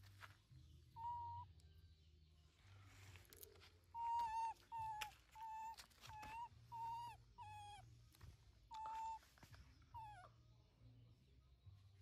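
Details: Tiny Linda, a young pet monkey kept at home, shouting angrily for her mother to stop working; a run of loud, high, flat or slightly falling cries about every half second to second, over a steady low hum and faint background noise.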